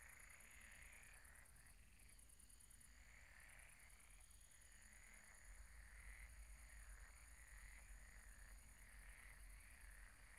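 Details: Night chorus of frogs at a pond, a dense mass of rolling, rasping croaks rising and fading in waves, with a continuous high buzzing and a thin steady whine above.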